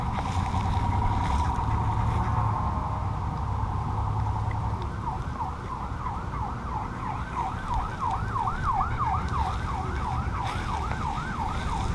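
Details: Background hum at a dog park, then a wailing siren that rises and falls rapidly from about five seconds on; no animal sound can be heard.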